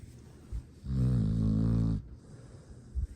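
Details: Astrid, a sleeping foster dog with Charming Pet Rescue in Boerne, Texas, recorded December 13, 2022, gives one long, deep, droning snore lasting about a second, framed by quiet breathing.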